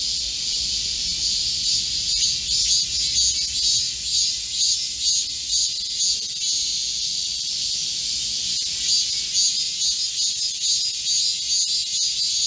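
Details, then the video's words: Midsummer chorus of Korean cicadas in a green forest amid heatwave, July 25, 2024: high, sizzling buzz from numerous insects, faintly pulsing in rhythm and holding steady for the whole stretch. "Korean cicadas, a chorus in a midsummer green forest | 한국 매미들의 한여름 초록 숲속의 합창"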